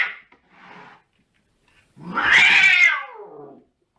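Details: Domestic cat giving one long, loud, drawn-out meow that rises and then slowly falls, preceded by softer short sounds, with a person speaking nearby indoors.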